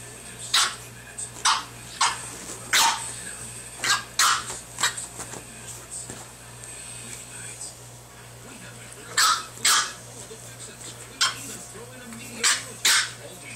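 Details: A Boston Terrier puppy playing with a pug puppy gives short, shrill barks and yips in uneven bursts, sometimes two or three close together, then pauses, over a faint steady electrical hum.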